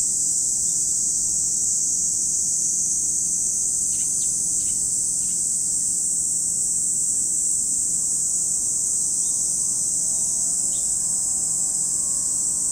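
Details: Cicadas at Lake Kamo in Sado City, Niigata Prefecture, Japan: a dense, unbroken high-pitched shrill chorus fills the whole stretch, with a few brief bird chirps near the middle and faint low background rumble.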